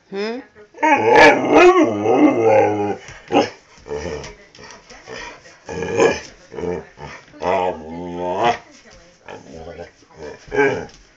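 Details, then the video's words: Dust, a pet dog, "talking" loudly: a rapid run of yowling, grumbling, pitch-bending harmonic vocalizations in short varied bursts, some rising then falling, with brief pauses between. "Dust talking dog!!!!!!!"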